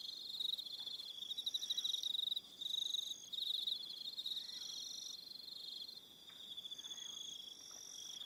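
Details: Evening crickets on Aroha Island, New Zealand, giving high, thin chirps in rapid pulsed bursts that overlap and shift, with several callers trilling at slightly different pitches and no other clear sounds.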